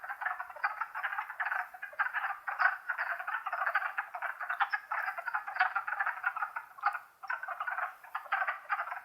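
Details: Spring chorus of wood frogs, Longkill Woods, April 2014: a thick, unbroken mass of short duck-like clucks and croaks, pulsing slightly in loudness throughout.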